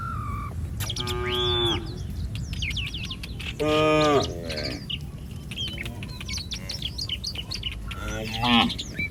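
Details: Cattle of a herd loose in the street give a few brief moos amid busy chirping and squawking birds and outdoor background noise.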